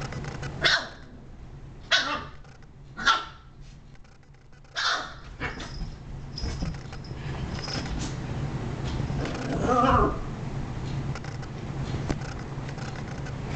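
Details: Shiba Inu giving a run of short, sharp barks, four in the first five seconds, then a softer drawn-out yelp near ten seconds over a constant low indoor hum.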